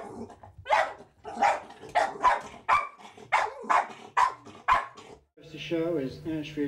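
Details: Molly, a seven-year-old West Highland White Terrier who spends her spare time watching TV, especially horse racing, gives a run of short, sharp, harsh barks about twice a second, with a person's voice mixed in and TV broadcast sound at the end.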